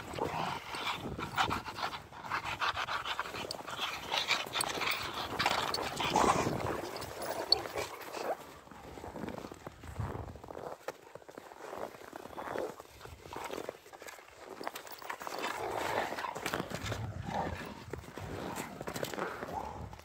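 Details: Two Rottweiler dogs playing with a stick on a morning walk, temperatures in the single digits Fahrenheit; rapid, breathy panting in quick bursts throughout, with rustling and footstep noise outdoors.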